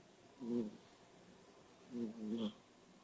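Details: Einstein, a kitten lying awake on a couch indoors, snores in two short, buzzy, nasal bursts about one and a half seconds apart, each with a low droning tone over quiet room background.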